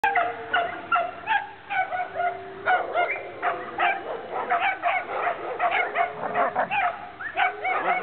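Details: Two Alaskan Malamutes meeting for the first time trade rapid yips, whines and woo-like howls as they play together.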